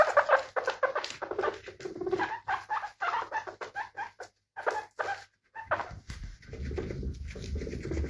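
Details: Guinea pig giving a run of short, voiced squeaking calls in quick bursts, each with stacked harmonic tones, pausing briefly near the middle before a softer, murmuring stretch at the end.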